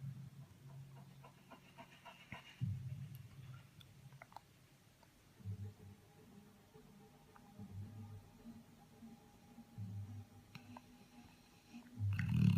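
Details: Labrador Retriever sleeping with its tongue hanging out, snoring in low rumbling bursts that rise and fall roughly every two to three seconds, in a quiet small room.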